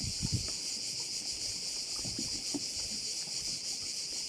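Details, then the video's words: Cricket chorus from a bay on Korčula: an intense, high, continuous buzzing with fine rapid pulsation, plus a few low thumps near the start. "view of one of the bays in Korcula with sounds of crickets"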